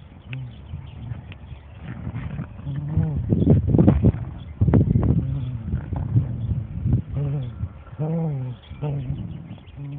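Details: Dandie Dinmont Terrier mother Lady playing with her puppies and other dogs; repeated low harmonic growls and grumbles, rising and falling in short bursts with brief pauses, plus scuffling play noises.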